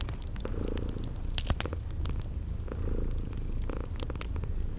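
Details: Purring from sleeping kitties beside a crackling fireplace in a spring garden setting: a continuous deep, pulsing rumble dominates, broken by occasional fire snaps and a high chirping that recurs every second or so.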